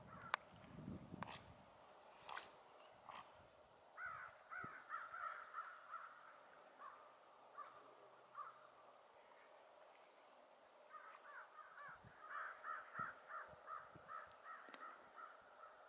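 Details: A pair of otters give bursts of harsh, squeaky chirps in quick series, separated by quiet pauses.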